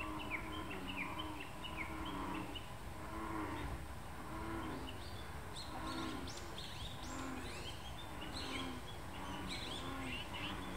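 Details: American bullfrogs in Moriya City and on Mount Tsukuba, Ibaraki Prefecture, Japan: a run of deep, hollow croaks repeated roughly once a second, with high chirping birdsong above and steady background noise.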